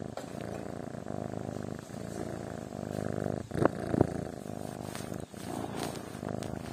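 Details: Sleeping kitten purring steadily: a low, rough, continuous rumble with faint pulsing, briefly broken by small clicks or rustles near the middle, then resuming softly.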